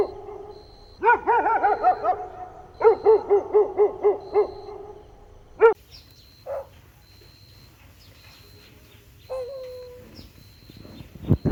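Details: Golden Retriever puppies playing on a lush green lawn outdoors. Short, tonal, arching yips come in quick bursts of five or six, then pause, with a single later squeal. A faint, steady, pulsing high tone repeats in the background.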